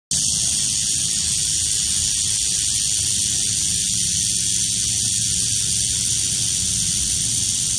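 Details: Eastern diamondback rattlesnake rattling: a loud, continuous dry buzz that runs unbroken and even from start to finish, over a faint low rumble.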